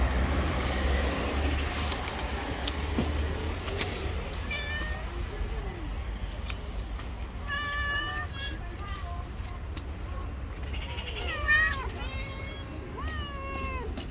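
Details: White female cat, described as angry and jealous, utters a series of short bending meows in its second half, some rising and some falling, against low background rumble and faint other noise.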